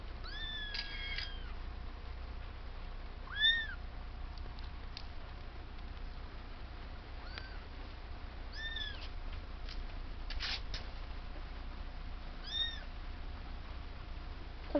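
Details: A kitten, newly born into a house with many cats, gives short high-pitched arched meows, repeated about five times at irregular gaps over fifteen seconds against a quiet low background hum.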